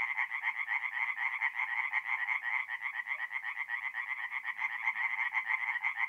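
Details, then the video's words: Singing tree frogs at a forest pond on an April night in north-east Italy: rhythmic bursts of rapid rattling croaks, about two per second, from several overlapping frogs, loud and steady throughout. "relaxing forest pond by night with singing tree frogs"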